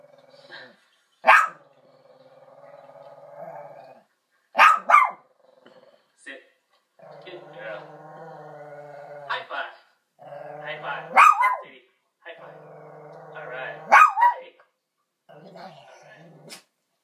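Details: A Shih Tzu watching dog videos on television gives short, sharp yaps spaced several seconds apart over the steady talk from the TV.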